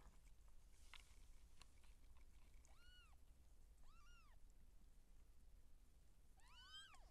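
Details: Seal point Siamese cat in labour, giving birth as kittens are born: three short arched meows, rising then falling, near three, four and six and a half seconds, the last one doubled, over a quiet low rumbling background.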